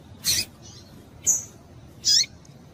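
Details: Female double-collared seedeater calling to excite males: three loud, sharp, high chips about nine tenths of a second apart, the last with a short falling tone.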